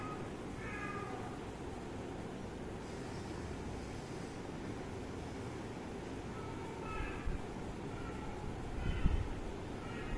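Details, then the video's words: Cat and kitten playing and drinking milk; a few short, faint meows rise above steady low background rumble, one near the start and a couple more later, with a brief human voice afterwards. "Cat and Kitten Playing and drink🥛milk"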